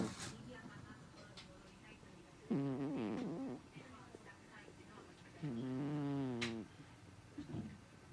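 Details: A cat named Sanshiro, sleeping deeply, snores: two drawn-out, buzzy, wavering breaths about three seconds apart, each lasting around a second, with quiet room noise between them.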